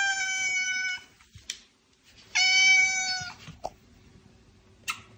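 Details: Two long, flat, steady-pitched meows from a house cat, each about a second long and rich in overtones, separated by a pause with small knocks; recorded as loud meows meant to attract cats.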